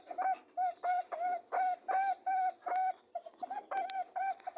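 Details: Rhythmic honking hum from mating rabbits, evenly spaced tonal buzzes close to three per second, with a short uneven stretch and faint rustling between.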